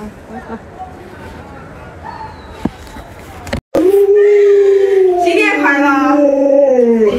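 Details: Pet Alaskan Malamute Luoluo trying to get its sleeping owner out of bed; low murmuring and scattered knocks come first, then a loud, sustained, quavering howl with strong overtones rises, wobbles and trails down.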